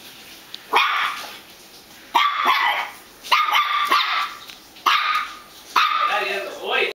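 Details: House dog barking at a squeaky hot dog toy, five strong, slightly drawn-out barks about one to one and a half seconds apart, with a faint voice mixed in.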